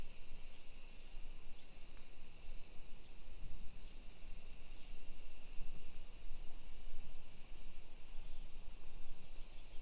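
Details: A steady, high, hissing buzz of many cicadas singing together at 1 PM on a summer day, 28 July 2021, in a hillside residential neighbourhood of Nisshin, suburban Nagoya, Japan.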